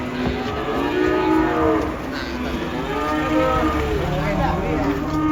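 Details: Unloaded cattle leaving a truck while a child runs with them, giving long, continuous, wavering moos that swoop up and down in pitch, over vehicle rumble, background music and a constant high hiss.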